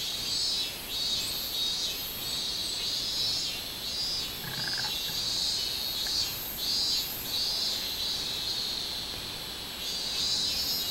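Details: Minmin cicada song from a summer day, 24 July 2016: a piercing high buzz rising and falling in rapid pulsing waves, with a brief faint lower sound midway.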